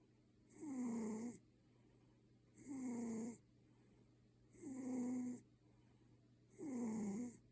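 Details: Ginger Maine Coon fast asleep, giving loud regular snores that sound almost human, four rasping, slightly falling breaths spaced about two seconds apart in a quiet room.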